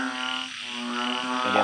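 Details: Balloon frog calling at night in a home garden: a single sustained, low, buzzy drone that holds steady for over a second before another call begins.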